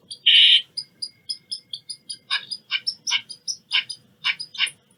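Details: Eastern squirrel giving a loud, harsh chirp followed by a run of short, sharp, buzzy notes repeated roughly every quarter second, fading slightly toward the end; no other sounds stand out.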